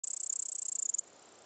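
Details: A male cricket of unidentified species, possibly a nymph, in Upper Bavaria (Oberbayern), gives a rapid, high-pitched pulsed trill lasting about a second, then stops.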